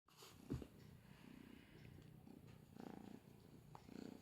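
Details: ['']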